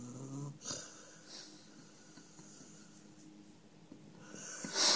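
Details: Number Five, a pet dog sleeping indoors, snores: a short rough snort, then faint breathy wheezes, ending in a sharp hissing rush of breath in a small room.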